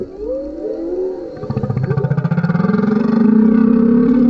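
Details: Male humpback whale singing underneath a kayak, recorded with a GoPro: a low moaning tone that wavers, then a pulsed, throbbing phrase sliding slowly upward and swelling louder toward the end.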